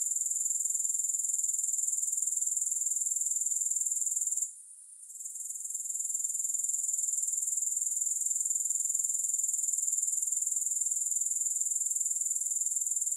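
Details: Grasshoppers in a steady, high, shrill chorus of fast pulsing chirps, about four per second, with a brief drop in volume near the five-second mark before the sound resumes; no music or other sounds.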